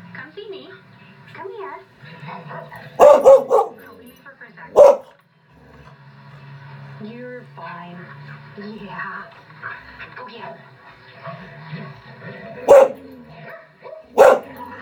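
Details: Norwegian Elkhound barking while watching other elkhounds on a screen indoors: single sharp barks and a quick double bark, spaced several seconds apart, over a steady hum of screen audio with voices and background dog sounds.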